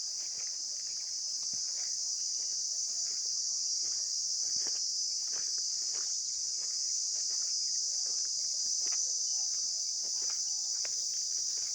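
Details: Insects heard outdoors: a steady, shrill, high-pitched buzzing drone that runs unbroken through the whole recording, with faint scattered clicks and soft rustling beneath it.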